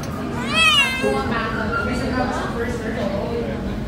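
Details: Turkish Angora kitten, one of a pair named Versace and Burberry, on a first visit to the veterinarian: one short, bright meow rises and falls within half a second, followed by a person talking over faint background music.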